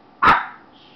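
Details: Brobee, a Shih Tzu, gives a single sudden sneeze: one sharp, breathy burst that fades within a few tenths of a second, with a faint high tone trailing afterward.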